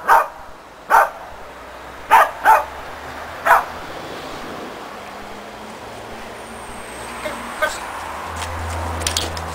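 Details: Shetland Sheepdog named Preston during agility training with a box and jump grid, a running contacts foundation exercise; short sharp barks, four close together in the first 3.5 seconds, then quieter faint sounds over low background hum.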